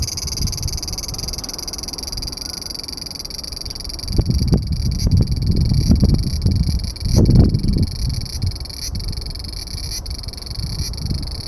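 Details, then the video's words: Large brown cicada singing while hidden under a branch of a loquat tree: a steady, unbroken sizzling drone held throughout, over heavy low rumbling and thumping noise that swells between four and eight seconds. "セミの鳴き声２～アブラゼミ～Large Brown Cicada"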